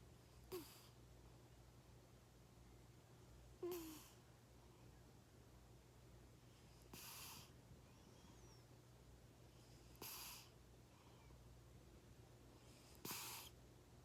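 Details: A cat snores in its sleep, eyes half open. Five breathy snoring breaths come roughly every three seconds, the first two with a faint low whistle, over a steady indoor hum.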